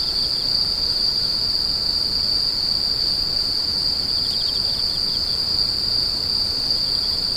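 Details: Insects screeching at night, a continuous high steady tone with a faint pulsing shimmer layered just above it, unbroken throughout, over a soft wash of background noise.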